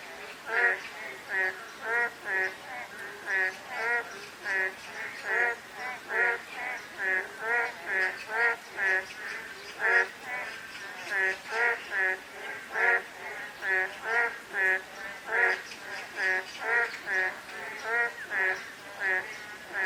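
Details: Frog chorus during a light drizzle, several callers overlapping in a dense run of short, buzzy, duck-like croaks that repeat more than once a second, set against a constant gentle rain hiss.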